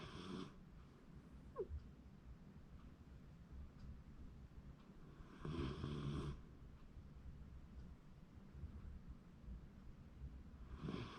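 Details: Shiba Inu sleeping and snoring, January 2024: rasping, breathy snores at the start, around five and a half seconds and at the end, spaced about five seconds apart, with low rumbling in between and a faint squeak near two seconds.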